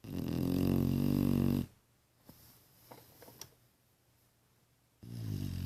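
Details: Sleeping female dog Pepper snores indoors: a long, low, droning inhale, then about three seconds of near silence with faint clicks and rustles before the next deep, buzzy snore begins.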